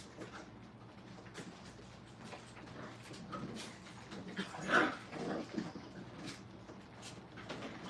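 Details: Brittany puppies in crate training at a kennel, low muffled whimpering with one sharper rising cry near the middle, quiet indoor room noise throughout.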